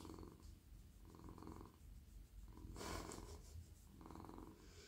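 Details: Male domestic cat purring contentedly while stroked in a lap; a low, rumbling purr swelling and easing with each breath, interrupted midway by a short burst of rustling from hands moving over soft fur.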